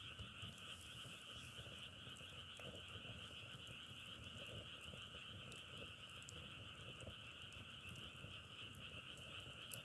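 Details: Continuous frog chorus, many callers merging into an even, buzzing drone that never pauses, with faint crackling clicks scattered throughout.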